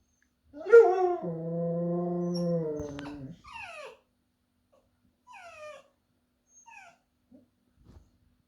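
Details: Husky cross dog, a pomsky, howling at home: one steady, harmonic-rich howl holding an even pitch for about three seconds, then a few short, falling yips with pauses between them; a person coaxes the dog between calls.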